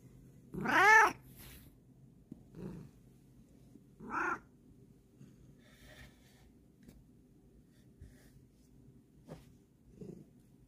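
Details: A house cat, female, meows loudly once with a bending, arched tone, then gives a few quieter, shorter mews spread over ten seconds in a quiet indoor room.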